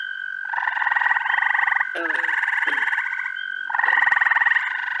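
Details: In the first week of June in upstate New York, a dense frog chorus of treefrogs, toads, peepers and green frogs gives rapid pulsed trills with a steady high tone running through it.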